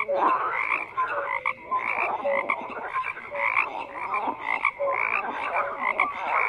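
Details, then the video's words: A crowded chorus of frogs, rasping croaks overlapping continuously, with brief tonal whistles and chirps scattered through the mix. "FROGS CROAKING"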